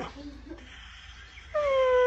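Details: Pet husky said to sound like a broken car that won't start; after a quiet stretch, a loud sustained whine-howl begins, clear and tonal, holding steady then sliding slightly downward.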